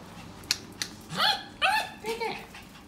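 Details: Poodle excited about going out gives three quick whines that bend downward, after a couple of sharp clicks. Faint human voices murmur underneath.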